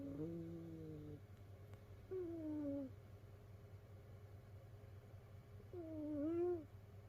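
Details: Sleeping domestic cat snoring, one of several rescued cats curled together in a cat pile; three whistling, tonal snores with gently falling pitch, separated by quiet gaps, over a steady low indoor hum.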